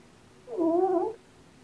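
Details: Black male kitten from a surrendered litter born November 22, asleep and snoring while a littermate wants it to stop: a single soft, tonal, slightly wavering snore lasting under a second, quiet room around it.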